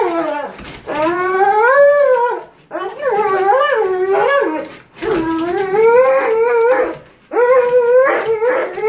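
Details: Cane Corso named Cronus during bite sleeve work in K911 Level 3 control and discipline training, giving four long, loud, wavering tonal cries, each rising and bending in pitch, separated by short pauses.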